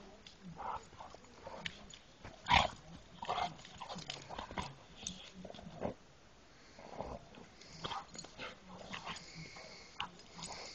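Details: Dog making scattered short, rough bursts, a few growl-like rumbles and one sharper bark-like yelp near the middle, separated by quiet gaps, with faint rustling and handling noise between.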